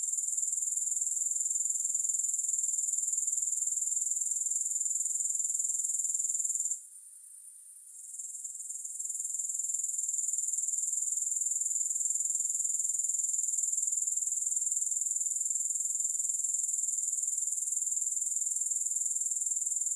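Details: Steady grasshopper chirring, thin and very high, beating at roughly four pulses per second. About a third of the way through it briefly falls quiet, then gradually rebuilds to full strength. No music.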